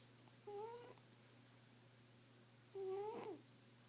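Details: Sleeping female cat giving two whistling snores, the second longer and rising before it drops away, separated by a quiet pause of about two seconds; faint steady hum throughout.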